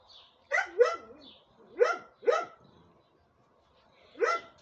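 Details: Dog named Cinta barking: loud, sharp barks with harmonic stacks, a pair near the start, two more around two seconds, and another near the end, with quiet gaps between them.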